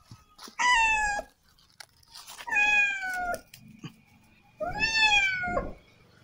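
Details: Loud, harsh, distressed meows from a cat caught on a rat glue trap during a courier's rescue: three long wails with a nasal, strained tone, separated by pauses and scraping noises.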